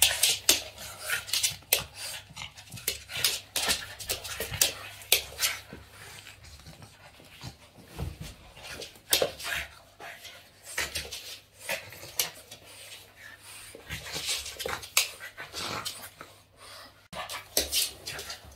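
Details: Boston Terrier Yoda, excited while playing with its owner's hands, panting and snorting in quick breathy puffs for most of the stretch, with a few rustling scuffles between bursts.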